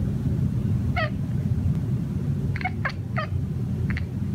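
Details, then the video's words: Hunting birds on the patio, a male pet cat murmurs to himself in quick chirrupy bursts, one alone, then a tight run of three or four, over continuous low-pitched rumbling noise. "My cat mumbles to himself while hunting birds on the patio."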